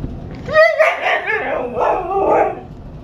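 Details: Husky at home having a fit about going for a walk: a rising, wavering howl-like yowl with clear harmonics, followed by grumbling, talkative moans.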